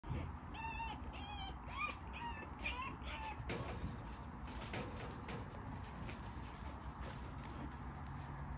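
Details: A lively female puppy giving a quick series of high, squeaky, rising-and-falling whines over the first three seconds, followed by low rumbling background noise and handling sounds.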